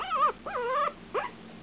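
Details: Two eight-week-old Shih Tzu littermate puppies, arguing over a person's lap, give high, wavering whines in short bursts that rise and fall in pitch.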